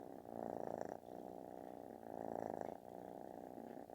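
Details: Snoring-like thunderous purr from a kitten seeking attention, a dense vibrating rumble pulsing with each breath, two strong swells and a softer one, close and loud.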